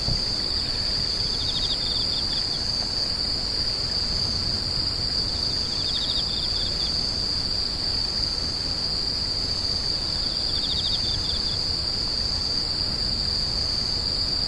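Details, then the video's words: Steady high ringing trill of screeching insects, with short bursts of fast pulsed chirps recurring roughly every four to five seconds beneath it and some low background rumble. "The sound of insects crying"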